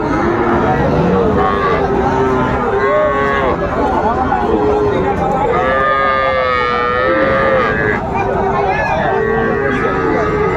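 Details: Friesian and crossbred bull calves at Raniganj cattle market, Dinajpur, 3 September 2024. Repeated wavering moos, one long quavering call midway, several animals calling in turn through dense crowd chatter.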